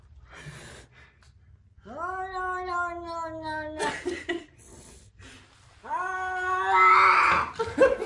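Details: Angry domestic cat yowling indoors: two long, drawn-out wails, each starting low and rising then holding a harmonic-rich tone for over a second, separated by a short pause with faint background rustling.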